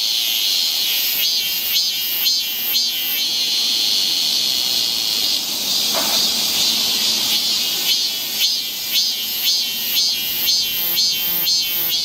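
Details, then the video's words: Summer forest trail in Seoul, Korea, ringing with cicadas: an intense high-pitched buzz broken into rapid rhythmic pulses, about two per second, easing to a steady drone midway before the pulsing returns. "Song of the Seasons, A nice forest trail in the Korean summer. Seoul. cicada sound."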